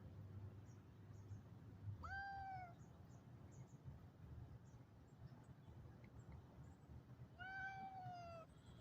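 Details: Calico cat scolding a Siamese cat: two drawn-out, falling meows about five seconds apart, each rich and harmonic with a slight rise at the start, over a steady low rumble.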